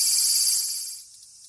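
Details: Cicada buzzing close by, heard as a kitten named Purin chases the sound; a loud, high, rasping drone that fades out after about one second, leaving near silence.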